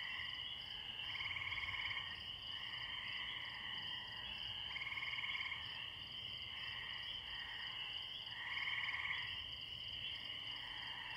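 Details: A distant chorus of spring peepers in a pond by a tree, high steady peeping with brighter swells every few seconds, alongside chirping crickets.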